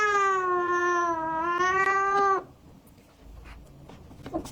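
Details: Kitten meowing to attract cats: one long, steady, slightly falling meow lasting over two seconds with rich harmonics, then near quiet with faint rustles.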